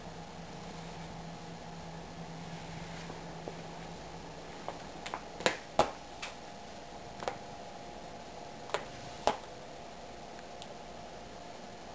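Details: Quiet indoor room with a steady low hum and scattered sharp clicks or snaps around the middle and end.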